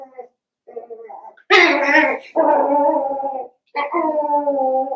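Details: Seven-week-old Cavalier King Charles Spaniel puppies from Daisy's litter, in an indoor puppy pen at home, give a few soft short whines, then three loud, long, harmonic wailing whimpers of about a second each, separated by brief pauses.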